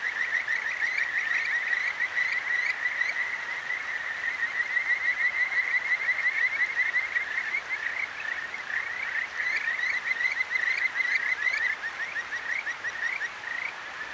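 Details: Several Kajika frogs singing at night along a clear stream in Tokyo's Akigawa Valley, recorded on a ZOOM H6: rapid, bright trilling notes pulsing continuously over fourteen seconds, some overlapping callers, with a gentle babble of water behind.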